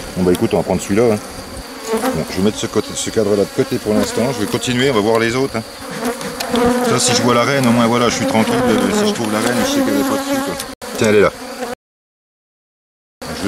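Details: Honey bees from a drone-laying colony during a rescue on 3 May 2021, after the introduced queen cells were destroyed. A dense, wavering swarm buzz with stacked droning tones runs throughout and breaks off into silence near the end.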